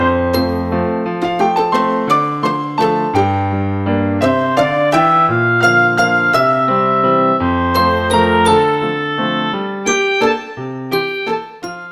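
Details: Gentle electric piano melody plays steadily throughout, with no animal sounds heard.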